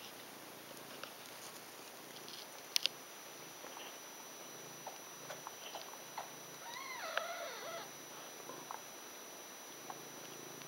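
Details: Ragdoll kittens, five days old, from a litter of six, indoors: a short series of thin, quavering high mews, each rising then falling, around the seventh second amid quiet room hiss and soft rustles.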